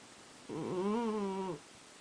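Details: Sleeping cat snoring: one voiced, humming snore of about a second, wavering slightly in pitch with rich harmonics, between quiet stretches.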